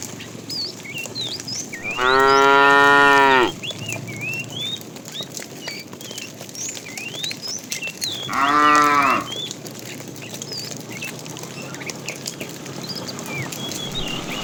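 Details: A fat cow in a tame herd being driven in the afternoon calls the female with two clear harmonic moos about six seconds apart, the second one shorter. Birds chirp constantly in the background.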